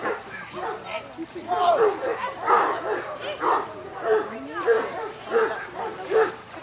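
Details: Newfoundland dog named Harry Potter during a water test on his fourth pass at section D level, Lake Bala, Wales, with rough water; short barks repeat about every 0.7 seconds, mixed with people talking and calling.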